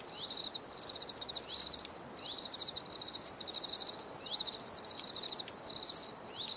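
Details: Crickets chirping in clear repeated trills, each a rapid series of shrill pulses lasting under a second, separated by short pauses, in a calming outdoor nature recording.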